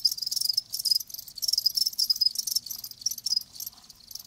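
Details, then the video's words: Live crickets chirp in short high pulsed bursts roughly every quarter second, sharp and metallic, with a slightly quieter stretch near the end. "Live Crickets 60min "Natural Sound""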